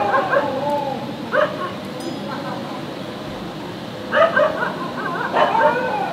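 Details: Dog barking loudly in the street, with clusters of quick, yelping barks at irregular intervals, around four bursts in six seconds, over a constant background hiss.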